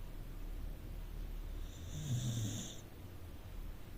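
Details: A rescued Corgi sleeping in the living room gives one soft snore: a low rumbling breath building around the middle of the clip with a faint airy hiss, then fading. Low steady background hum throughout.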